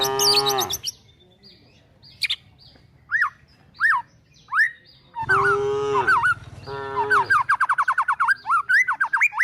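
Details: Cows and calves herded toward woodland while looking for food: a short moo at the start and a longer one midway, separated by sparse bird whistles, ending with rapid repeated bird chirps.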